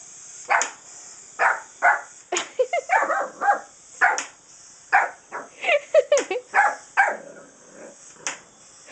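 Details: Pet dog at home barking excitedly at a small wind-up toy it does not understand; sharp, short barks in quick irregular bursts, about fourteen across nine seconds, some doubled into yips.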